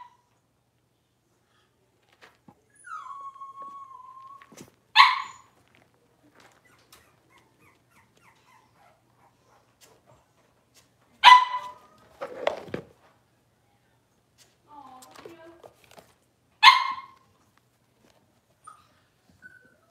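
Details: Six-week-old Cavalier King Charles Spaniel puppies in an indoor puppy pen, being dewormed and having toenails trimmed. A drawn-out falling whine, then three sharp yelps spaced several seconds apart, with quiet gaps between.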